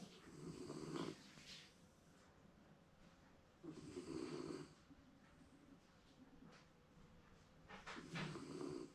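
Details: Shiba Inu dozing through an afternoon nap indoors, seemingly dreaming; three drawn-out, raspy snores swell and fade about four seconds apart, with a quiet hush between them.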